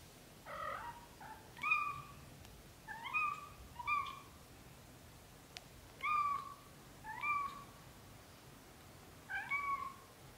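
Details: British Shorthair kitten, under a month old, mewing over and over: six short, clear, slightly falling cries spaced roughly a second apart, in a quiet indoor setting with a few soft clicks between calls.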